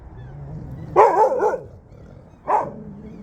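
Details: Jindo dogs out on a free off-leash walk; two loud, sharp barks about one and a half seconds apart, the first longer and broken into a quick double burst, over faint low background rumble.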